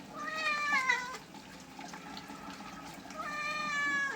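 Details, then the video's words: Domestic cat meowing while being bathed with shampoo: two long harmonic meows, the first about a second long and slightly falling, the second rising then level near the end, with a quiet gap of background noise between. "Cat bathing videos"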